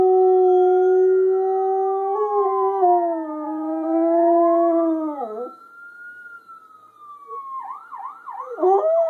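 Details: A pet Siberian Husky named Spirit howls: long smooth tones that slide and waver, dipping low before rising into a high drawn-out note, ending in a series of short rising-falling yodeling yips.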